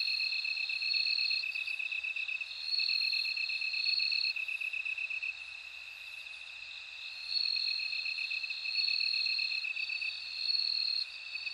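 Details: Bell cricket singing: a steady, finely pulsed ringing trill runs throughout, joined by a higher, brighter trill in bursts of about two seconds with short pauses between. No other sounds stand out.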